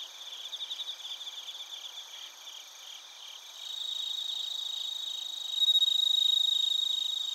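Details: Bell crickets and other crickets singing in Narita, Chiba Prefecture, Japan, recorded with a TASCAM Portacapture X8: quick pulsed chirps at first, then a steadier ringing trill that swells into a loud, bright tone near the end.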